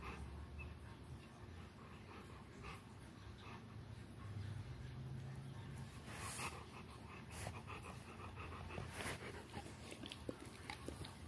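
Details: A Rottweiler playing with a toy pants and huffs in rough, breathy bursts, with a brief low rumble partway through.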